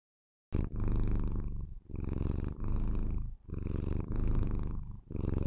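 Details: White Maine Coon kitten Lilith purring loudly while showing affection to her owner, a deep rumbling purr in long pulses matching each breath, with brief quiet gaps between them.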